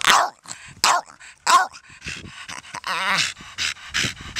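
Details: Donut, a 13-year-old female Staffordshire Bull Terrier cross, barking at nothing: three sharp barks in the first two seconds, then rougher growly, wavering barks and huffs trailing off.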